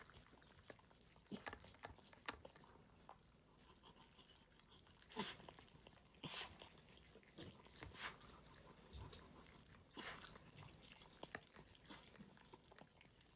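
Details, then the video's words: Dog eating its food, captured unedited: steady crisp crunching and clicking bites, irregular but continuous, with sharper louder crunches around the middle and end, over a quiet background. "강아지 리얼 밥먹방"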